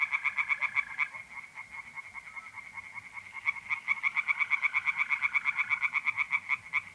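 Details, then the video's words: Tree frogs singing in a pond on an April night in north-east Italy: fast, regular pulsed croaks repeating in runs, with a steady high trill of mole crickets running underneath. "relaxing singing tree frogs in pond and trilling mole crickets by night"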